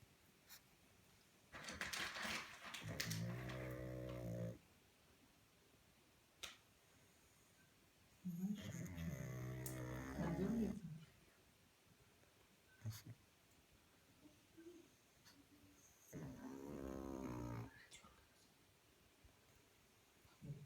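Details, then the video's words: Pug snoring while asleep at night indoors; three long, raspy, rattling snores, each lasting one to two seconds and heavy in low tones, come several seconds apart, with soft clicks and faint noises in the quiet gaps. "Как храпит Мопс"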